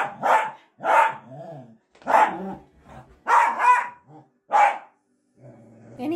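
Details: {'text': 'Playful miniature sausage dog barking in sharp, broadband yaps roughly once a second, six bursts with short gaps, followed by a person calling the dog in a domestic setting.'}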